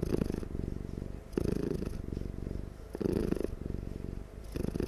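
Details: A loud purr comes from a cat as it dozes. The deep vibrating rumble rises and falls in regular breaths, with stronger bursts roughly every one and a half seconds in a quiet room.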